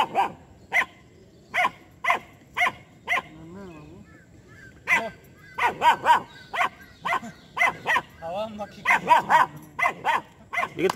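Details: Aggressive two-month-old female German Shepherd puppy, Jass, barking at a street dog and buffalo; a long series of shrill puppy barks, some in rapid clusters, with brief whiny yelps and a voice in the background.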